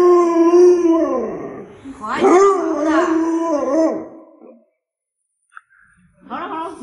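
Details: A pet Alaskan Malamute named Luoluo holds a steady howled note for nearly two seconds, then breaks into wavering, talk-like yowls with rising and falling bends that trail off into silence, followed by a short fresh vocal start.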